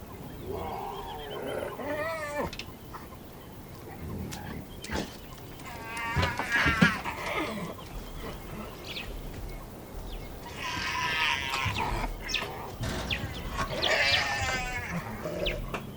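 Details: Clan of spotted hyenas eating carrion in the Masai Mara National Reserve, Kenya: excited squealing, whooping and giggling calls with wavy, rising and falling notes, overlapping in bursts over steady feeding noise.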